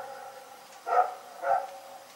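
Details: A dog named Rex barking in the night: two sharp, harmonic barks about half a second apart, then quiet background.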